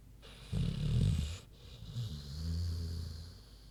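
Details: Queenie, a big sleeping pig, snores: a loud rough low rattle on the inhale, then a softer, droning, lower exhale with a steady hum.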